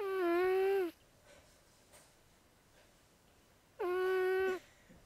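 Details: Sleeping house cat Zoey, a female, snores with two clear, humming, whine-like breaths, each lasting under a second, separated by a long near-silent pause indoors.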